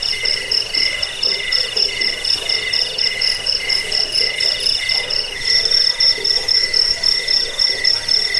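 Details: Cricket chirps meant to repel rats, soothe sleep and train songbirds: rapid, shrill pulsed trills on stacked high tones, one voice dropping out near five seconds as another takes over, over faint hiss.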